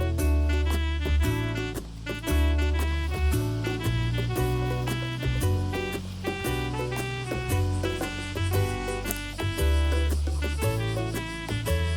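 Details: Cheerful swing-style background music with bouncy bass and piano chords plays throughout, with no animal voice audible.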